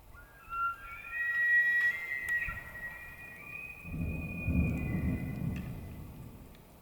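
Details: Rutting-season elk in Arizona's White Mountains gives a long, sustained, high whistled bugle with strong overtones, holding its pitch for several seconds before fading, followed by a low rough rumble.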